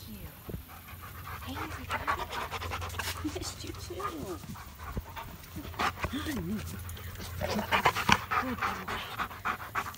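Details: A German Shepherd greeting its owners returning home after two weeks away in Europe; rapid excited panting with short whines and squeaks, mixed with overlapping human voices and rustling.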